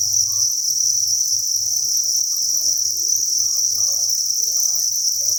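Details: Crickets massed in a breeding facility on a cricket farm produce an unbroken shrill chirping drone, evenly pulsed and bright, with quiet low rumbling and faint scattered tones underneath.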